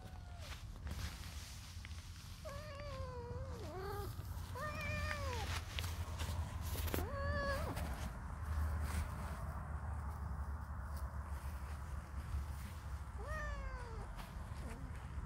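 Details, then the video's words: Feral blue-eyed male kitten in a country garden, annoyed at being filmed, gives a series of drawn-out, wavering meows, several bending up then down in pitch, spaced irregularly with a long pause before a final cry; light outdoor background noise. "Annoyed cat wants some privacy"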